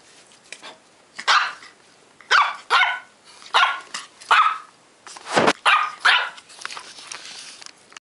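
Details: Shih Tzu puppy, ten weeks old, letting out a string of about nine shrill, squeaky barks in quick uneven succession over eight seconds, one louder and harsher near the middle, with no other sounds.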